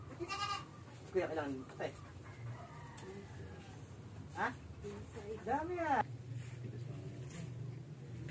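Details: Goat suffering from an infected navel and stiffening legs, giving several short wavering bleats spread over a few seconds, one rising then falling, with people talking nearby throughout.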